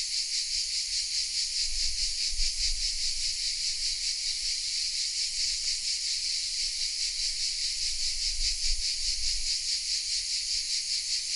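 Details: Chorus of cicadas hidden in oak trees of the village of Vézénobres in the south of France, recorded on a Sony RX10 M3 camera: a dense, continuous high buzzing hiss with a steady pulsing throb, occasional low rumble beneath.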